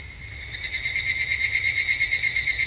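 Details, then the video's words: Evening cicada at a temple in Japan during summer, its ringing call surging in after half a second into evenly spaced throbbing pulses, high and metallic with layered overtones. "日本の夏～お寺とひぐらしの鳴き声Japanese Summer Temple and Evening Cicada"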